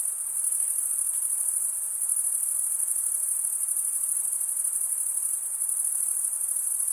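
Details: Crickets stridulating by rubbing one wing along the toothed vein of the other: a dense, unbroken high-pitched shimmering trill with steady pulsing, holding constant for the whole stretch, with faint soft hiss underneath and no other sounds.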